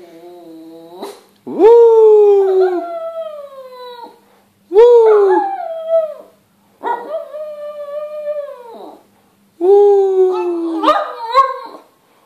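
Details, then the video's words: Shih Tzu singing indoors: four drawn-out howls spaced about three seconds apart, each swooping up quickly and then sliding downward. A faint low hum sits underneath, and a few yips break into the last howl. "Shih-tzu sings"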